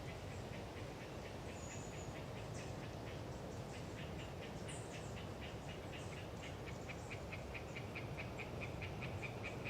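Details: Hyla orientalis tree frogs in Galeriç Swamp Forest, Kızılırmak Delta, Samsun, calling on a windy autumn day: a steady, rapid series of short pulsed croaks strengthens toward the end, under heavy wind noise and brief high bird notes.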